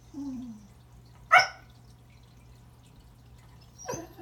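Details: Remington, a Pembroke Welsh Corgi, greets a new toy under the Christmas tree with a sharp bark followed later by a softer, rougher bark, a faint whine-like sound at the start.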